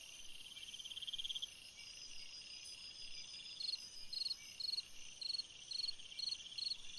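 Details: Summer night cricket: a sustained high trill at first, then evenly spaced short chirps about every half second, set against a constant shrill insect hum.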